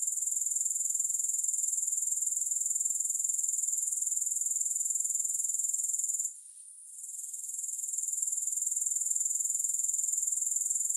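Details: Continuous shrill grasshopper trill, no music, its fast even pulses holding one high pitch, broken by a short lull past the middle, then swelling back to full strength.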